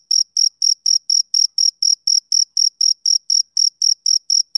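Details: Summer-evening chirping of a male cricket: a quick, metronome-like series of about eighteen piercing high pulses in under five seconds, each note equally loud, against a silent background.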